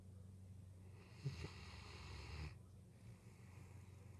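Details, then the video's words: A Great Dane sleeping beside its owners' bed at night snores with one long, rough, rumbling breath over a low steady hum. "Great Dane Snoring"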